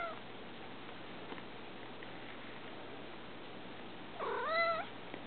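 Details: Bella, a house cat who likes to visit her owner at a desk beside her cat tree, makes a single clear meow with strong harmonics about four seconds in, against a steady quiet indoor background.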